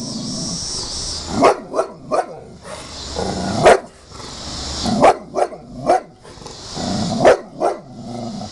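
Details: Huge bulldog flipping out over a picture: loud gruff barks in short bursts of two or three, separated by pauses filled with low rumbling growls, against a constant background hiss.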